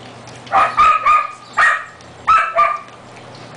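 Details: Four-week-old Siberian Husky puppies at feeding time, recorded 10 May 2009: high whining yelps with a steady tone, several close together in quick pairs, a short break between bursts, a low steady hum underneath.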